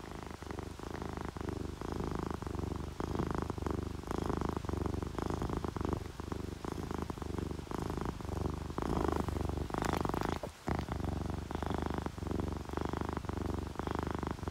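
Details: Relaxed domestic cats, an orange tabby and a calico, purring while sleeping, paired with rain; steady low rumbling purr in rhythmic pulses with brief breaks between breaths, soft dripping rain in the background.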